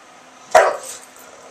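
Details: Milton the English Bulldog, a defensive pet in Oklahoma, lets out a single short bark through open windows on a warm September day, answering a small dog down the street; a brief sharp onset fading quickly, faint room hiss behind.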